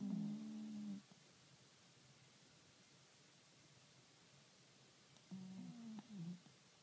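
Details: Kuro, a pet cat, snoring while asleep indoors, recorded 28 April 2013: a low, hummed, tonal breath lasting about a second, then four seconds of quiet before two more wavering snores.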